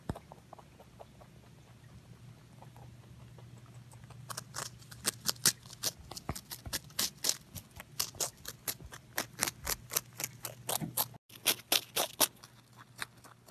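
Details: Pet rabbit Pontan eating indoors, close-miked: a quiet low hum for four seconds, then crisp crunching bites start, about four sharp clicky crunches per second, uneven, with a brief cut near the end.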